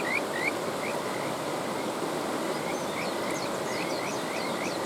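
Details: Kajika frog by a stream giving a few sparse, rising whistled notes, with a louder pair at the start and softer ones later, over a steady wash of running water.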